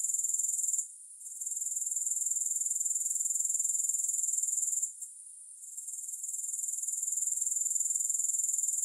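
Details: High, hissing grasshopper trill made of quick, regular pulses, dipping twice into short quieter gaps before the dense buzzing builds back up. No music.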